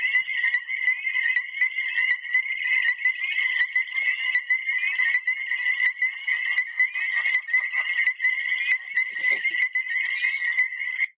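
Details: Chorus of Illinois chorus frogs, a state-threatened species in Illinois, calling as a group: shrill, high pulsed notes repeated rapidly and overlapping without a break, with an even, continuous texture throughout.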